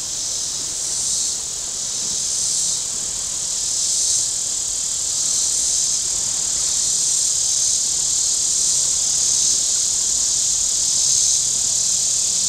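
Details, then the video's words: Cicadas on the shore of Table Rock Lake in southern Missouri on a very warm Saturday, a dense high buzzing chorus that swells and fades about every one and a half seconds, steady and unbroken throughout. "Boating Lake Sounds and Cicadas"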